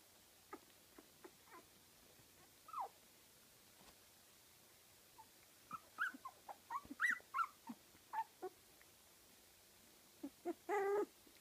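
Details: Fifteen-day-old Kooikerhondje puppies from litter Emma x Floyd at a Swedish kennel give soft, high whimpers and squeaks in scattered short bursts, clustering midway and ending with a longer, louder squeal over a quiet background.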